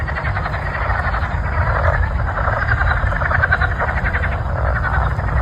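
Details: Before a thunderstorm, a dense chorus of frogs calls in rapid, rattling pulses over a low, steady rumble.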